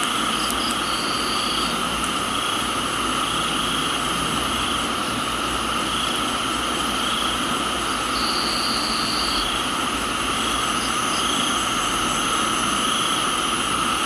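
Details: Crickets calling in a Thai tropical garden in the rain. Several unbroken high whining insect tones hold steady throughout, with two brief flat trills of about a second and a few faint chirps, all over a thick rain hiss.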